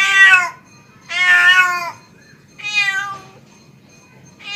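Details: Calling to a female, a male house cat gives rapid, insistent meows, three full calls plus the start of a fourth within under five seconds. The calls are loud and harmonically rich, and the second meow is long and drawn out.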